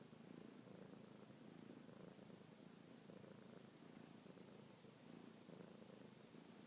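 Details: Domestic kitten named Luna purring non-stop while suckling on fingertips, paws kneading, a nightly and morning habit indoors; a steady low rumbling purr in continuous rapid pulses throughout, with no other sounds.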